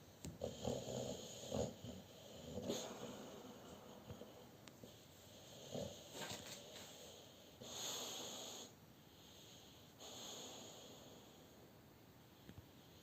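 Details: A Boxer dog napping beside family members, snoring heavily during REM sleep; rough, rasping snores come in uneven bursts roughly every one to two seconds, some louder and longer, in a quiet indoor room.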